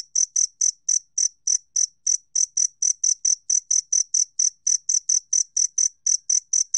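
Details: Steady, ringing chirps of a two-spotted cricket, 2020 National Institute of Biological Resources recording, repeated about four times each second in a continuous, slightly uneven train, with nothing else audible.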